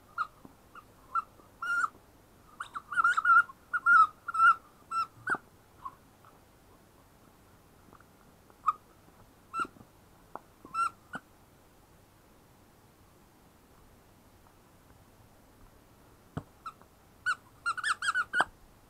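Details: {'text': 'Female German Shepherd puppy, ten weeks old, giving thin, high whines and whimpers in clustered bursts. Long quiet stretches fall between them, and each whine is brief and slightly wavering.'}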